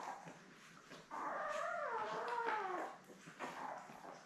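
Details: Labrador Retriever puppy from a litter of seven born May 24, kept with mother Belle on a puppy cam; one long wavering whine, rising then sliding downward over nearly two seconds, with soft squeaks before and after.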